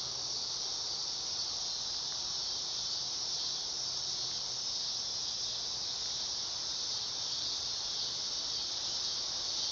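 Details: A dog-day cicada (Neotibicen canicularis) in summer gives a loud, high, continuous buzzing whine that holds steady throughout.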